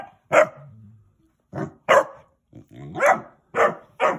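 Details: Basset Hound puppy eager to play, barking in loud separate barks, one then a pause, then four more in quick succession, with a faint low growl between.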